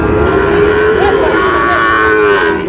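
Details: Sahiwal bull calf at a Tangail cattle market in Bangladesh: one long, steady, slightly wavering moo lasting over two seconds, with crowd noise and men's voices behind it.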